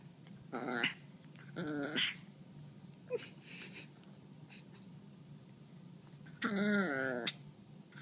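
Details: Chihuahua growling while wanting to bite a hand, making three short harmonic grumbling bursts, the last and longest lasting almost a second, with quiet pauses between.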